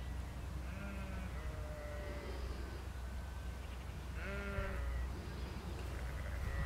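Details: Sheep herded across a field by a working border collie; several quavering bleats rise out of heavy wind noise, the clearest near the start and again after four seconds.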